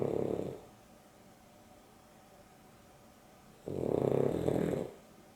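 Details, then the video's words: Dexter and Rio, a Boston Terrier and a Beagle cross, asleep indoors during an afternoon nap, with Dexter snoring: a rasping mid-pitched snore at the start, a quiet pause of about three seconds, then a second longer snore. "Boston Terrier and Beagle X (Dexter and Rio) snoring"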